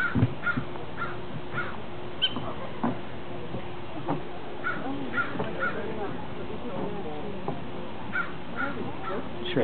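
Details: A plump prairie dog in its burrow hole gives sharp, repeated chirps in quick bursts, with people talking nearby; it had been calling nonstop before recording began.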